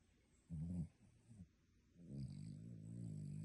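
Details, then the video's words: Sleeping dog snoring like a human: a short rough low snore near half a second in, a smaller snort after, then a long steady rumbling breath through the last second and a half. "Dog snoring like human!"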